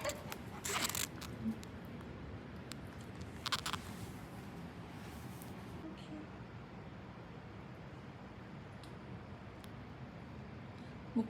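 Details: A quiet indoor room with a few brief rustling, zipper-like scrapes and faint murmuring, and no barks or other animal sounds.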